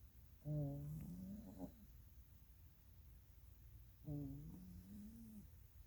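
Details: A female Norwegian Forest Cat snores softly during a catnap on a rainy Thursday, two low rasping breaths a few seconds apart; her whiskers twitch when a person gets too close.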